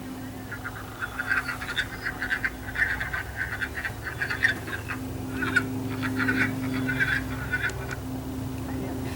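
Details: Wood frog chorus in spring: short, hoarse, duck-like quacking clucks in a loose, overlapping chorus.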